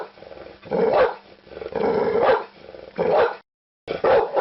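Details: Barking pit bull: three long rough barks, each a drawn-out harsh mid-pitched burst, then a short silence and another bark starting.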